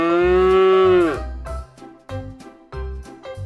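A cow gives one long, steady, nasal moo that sags in pitch at the end, followed by a bouncy musical backing with a regular beat.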